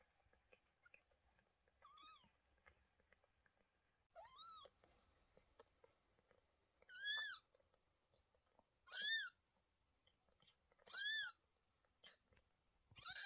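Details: Indoors with Lola, a mother cat with two newborn kittens born 28 May 2023: a faint meow, then a run of louder high-pitched arching meows roughly every two seconds over a low room hum.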